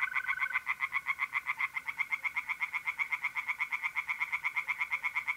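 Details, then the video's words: Night chorus of tree frogs in a pond, North-East Italy, mid-April: an unbroken run of rapid, regular nasal pulses about four per second, with a mole cricket trill briefly audible at the start. "relaxing singing tree frogs in pond and trilling mole crickets by night"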